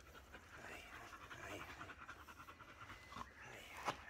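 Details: Shedding black Labrador Retriever called Bee pants during a brushing session at home; quick breathy pants blend with soft rustling and a woman's voice murmuring near the end.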